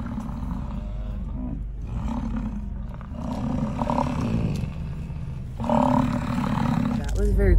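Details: American bison during the annual rut in Lamar Valley, Yellowstone, at first light with steam rising. Deep, rumbling roars swell and fade across several seconds, with a brief human voice mixed in.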